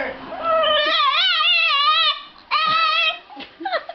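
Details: Dog or puppy whining in long, wobbling, tonal cries, one sustained wavering wail followed by a shorter one, then a few soft broken whimpers.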